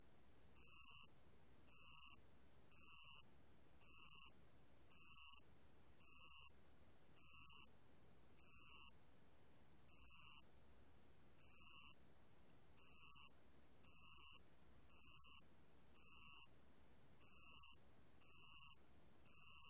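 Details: A ground cricket (Korean name allakbangulbeolle), recorded in 2020, sings high, pure, trilled chirps, each about half a second, repeated roughly once a second.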